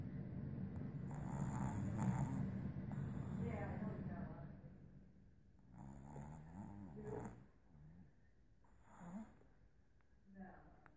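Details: Boston Terrier puppy dreaming in its sleep: rough, snore-like breathing for the first few seconds, then soft, squeaky whimpers that waver in pitch, in short bursts at about six to seven seconds, again near nine seconds and briefly near the end.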